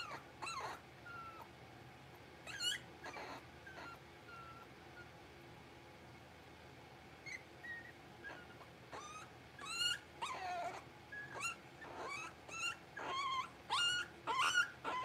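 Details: Five six-week-old blenheim Cavalier King Charles Spaniel puppies in a home puppy pen, born to Paris and Spike on New Year's. High, thin whines and sharp yelps come in scattered bursts, sparse early, then crowding together over the last six seconds.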